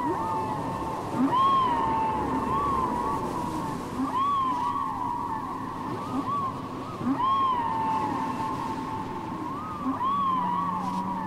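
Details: Whale song from a cassette: a repeating sequence of arched, wavering tonal cries, each rising then falling into a sustained whine, roughly every one to two seconds, with fainter lower chirps and a constant watery hiss.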